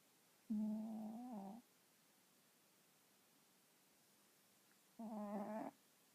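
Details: House cat that does not purr but snores while asleep: two low, nasal, buzzing breaths about a second long, roughly four seconds apart, in a quiet room.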